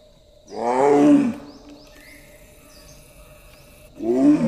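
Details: A female Royal Bengal tiger in Kaziranga National Park, India, gives two deep, moaning roars that fall in pitch as she calls for a mate.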